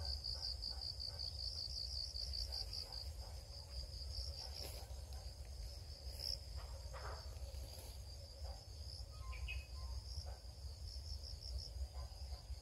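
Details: A cricket's high, rapidly pulsed chirping is strongest in the opening seconds, then grows fainter and patchier. Scattered clicks and brief noises punctuate it over a steady low rumble.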